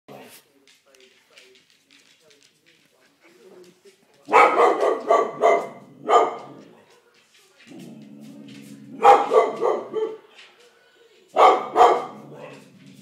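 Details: George, an English Springer Spaniel, barking at something: bursts of rapid, harsh barks in quick runs of four or five, separated by pauses, with a low growling rumble between bursts.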